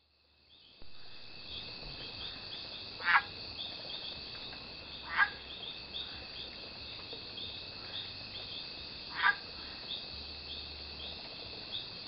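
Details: Mating call of the Mexican leaf frog, Pachymedusa dacnicolor, recorded in Yelapa, Jalisco, Mexico, on June 8th, 2014: short sharp clucking notes at irregular intervals of two to four seconds over a steady high insect drone.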